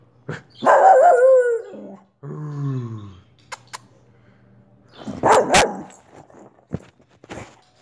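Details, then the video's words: A pet Soft Coated Wheaten Terrier gives a loud, tonal bark that falls in pitch, then a lower, descending whine-like note. Later come several short, noisy bursts and a few clicks and knocks. "Wheaten terrier barking"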